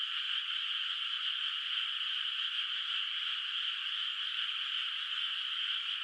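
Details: Night chorus of frogs over a quiet rice field under moonlight, before rice planting; many voices blend into a constant shimmering high buzz of even loudness throughout, with nothing else audible.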